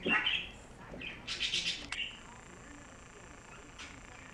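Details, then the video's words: Two house cats, Louie and Binx, scuffling in a fight: a short cry rising sharply in pitch opens, followed by a harsh, hiss-like burst of broadband noise, then quiet room background. "Cat Fight!"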